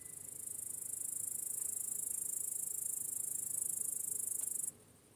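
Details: Crickets chirping in the evening in a peaceful meadow at sunset: a steady, high, shimmering trill of rapid pulses that runs without pause for most of the clip, then cuts off abruptly near the end.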